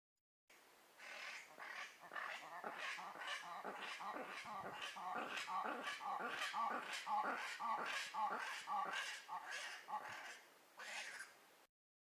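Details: Black-and-white ruffed lemurs giving their famous roar, a loud chorus of harsh barking pulses repeated rapidly, nearly two per second, swelling over about ten seconds then breaking off, ending with a final burst.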